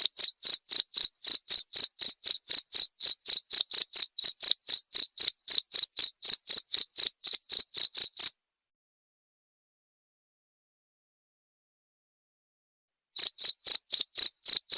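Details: Cricket chirping, a clear recording used as masteran to teach the white-rumped shama (murai batu), played nightly: bright, high pulses about four per second in a steady run, then nearly five seconds of silence before the chirps resume.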